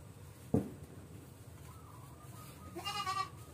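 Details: Goat with an infected navel and stiff legs: a sharp knock, a faint thin tone, then one short quavering bleat near the end.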